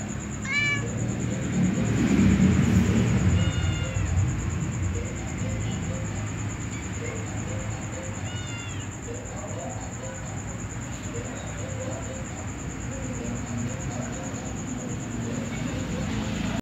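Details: Pet cats, a ginger one with a white female: short, clipped meows at scattered moments, near the start, after three seconds and at eight seconds, amid a low rumbling noise and constant faint background music.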